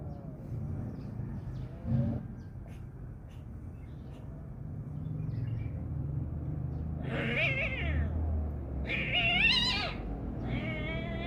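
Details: Kitten fighting another cat, with only the kitten making noise. After about seven seconds of low rumbling background, three loud, wavering, harmonic yowls rise and fall, the last one short and strained.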